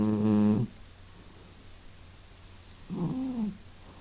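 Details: Masya the cat snuffling and snoring indoors: a buzzy, rasping half-second snore opens, then quiet breathing, then a second, softer snore with a wavering tone about three seconds later.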